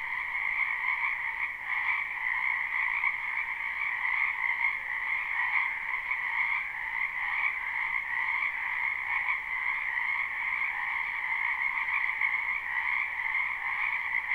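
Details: A crowd of frogs in a wetland in spring, recorded live: an overlapping, continuous trilling chorus at two pitch levels, with faint pulsing in the lower layer and a steady level, nothing else audible.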